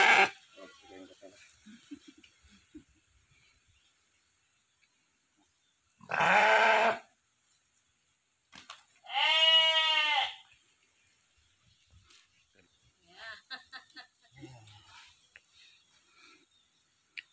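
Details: Sheep at an Indonesian village farm with a 90 kg stud ram: two loud, quavering, harmonic bleats about three seconds apart, amid men talking and handling noise near the pen.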